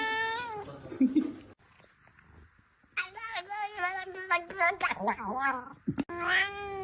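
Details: Cat giving drawn-out, wavering meows and yowls indoors, some rising then falling, broken by a short pause, with people talking over the calls.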